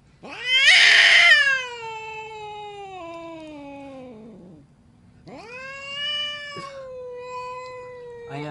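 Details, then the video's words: Angry cat caterwauling: a harsh, loud opening wail that slowly slides downward over several seconds, then a second long, steadier moaning yowl with a faint low hum beneath. "Crazy angry cats"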